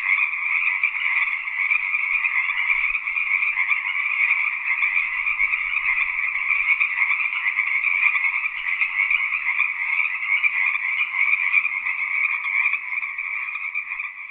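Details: Tree frogs calling in a dense, unbroken chorus, a steady high buzzing trill that holds at an even level for the whole stretch with no pauses and no other sounds.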